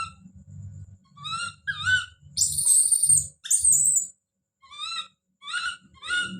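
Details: Baby monkey Don calling out: short tonal cries, then two loud, harsh, piercing screams near the middle, then more brief harmonic calls. Low rustling and handling noise runs through the first half.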